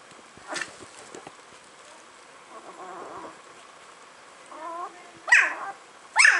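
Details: Puppies giving a short harmonic whine in the middle, then two sharp, shrill yelps about a second apart at the end, over quiet background hiss.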